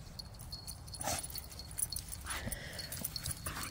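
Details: Pet dog whimpering during play, as a game of fetch with a new toy turns into tug of war in a home with several dogs; one short high whine that rises and then holds, amid rustling and scuffling.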